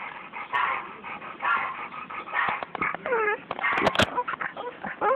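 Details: Bulldog attacking a snake gives high, sliding yips and whining whimpers in quick uneven bursts, with sharp clicks and knocks mixed in and background noise throughout.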